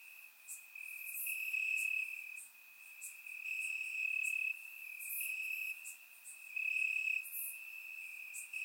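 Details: Crickets in the grass chirping through a warm summer night in Bulgaria, surround-recorded: a high, ringing trill pulsing in louder and softer waves about every second, with crisp clicks higher up.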